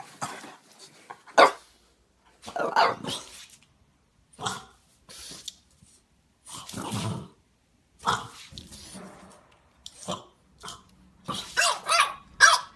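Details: Several bouts of soft, fairly high barks from a playing French Bulldog, irregular and scattered, some doubled, with brief growly stretches between and a quiet background.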